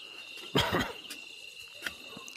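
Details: A barking deer in Rajaji National Park near Rishikesh, India, gives a loud, harsh single alarm bark close by on a moonlit night, likely signalling a leopard or tiger, over a steady drone of crickets.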